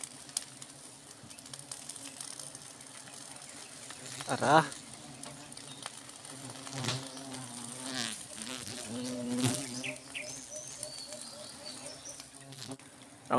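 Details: Honey bees droning continuously while honey is gathered; a moderate, even buzz with faint wavering overtones, interrupted by brief voices, taps and crackling sounds.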